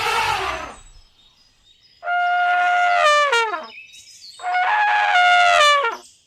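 An elephant gives two loud, brassy trumpets, each held about a second before sliding downward.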